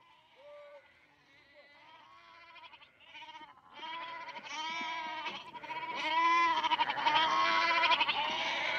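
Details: Several goats at Berkeley Lab bleat close up, their wavering, nasal calls overlapping and growing louder.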